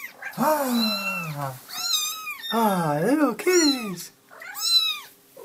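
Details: Cat heard in a comedy compilation of cats and kittens: four long, low, yowling meows that swell and arch up and down in pitch, separated by brief silences.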